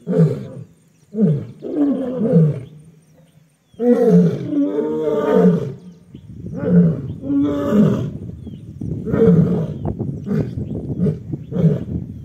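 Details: Asiatic lions fighting among themselves in the Gir forest area, Junagadh, Gujarat, India, snarl and roar in rough, deep bursts.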